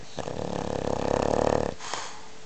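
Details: Loud snore from Sophie, a French Bulldog, indoors: one rattling, fluttering snore lasting about one and a half seconds, buzzy and strongest in the low-middle range, then cut off sharply, followed by quieter breath.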